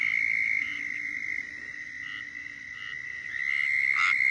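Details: Squirrel tree frog calling in Florida, its mating call; a steady high insect-like drone runs throughout while faint, short raspy notes come irregularly and a louder burst lands near the end.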